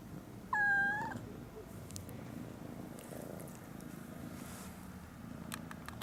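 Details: Kittens joined by a new grey kitten, a single clear rising meow at the start followed by a soft continuous low purr, with light ticking noises near the end.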